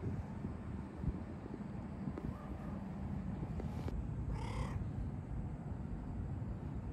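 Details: Stray cat with a Pikachu-like tail, met again after a long time, wagging its tail, rolling over and headbutting; one short harmonic meow of about half a second over a steady low rumble of outdoor background noise.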